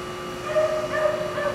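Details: Young female Shih Tzu whining in three brief, thin, nasal whimpers spaced about half a second apart, with a constant background hum.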